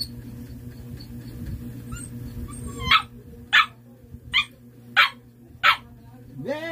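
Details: Siberian Husky barking in reply to questions about a playing card; after a question about the card's colour, five sharp barks spaced about half a second apart, over a steady electrical hum, ending in a rising whine.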